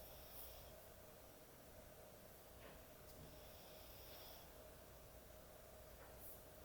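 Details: Dog asleep at bedtime with excessive snoring: breathy, hissing snores rise and fade twice, separated by quiet stretches, with faint clicks and a constant low background hum.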